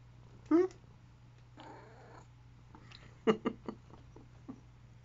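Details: Domestic cat with huge paws making fun noises indoors while licking and grabbing a hand; a brief harmonic chirping call opens, followed later by a cluster of short clicky vocal bursts, with a person talking softly and a steady low hum.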